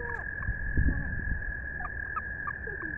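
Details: American toad calling: a steady, unbroken high trill held through the whole stretch, with a few faint short chirps from other creatures and low rumbling background noise.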